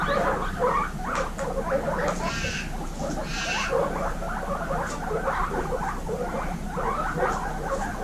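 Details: Indoor group of baby guinea pigs giving quieter wheeks and chatter, many short squeaky rising notes layered over each other in a busy, steady murmur, with rustling and a few brief louder squeals.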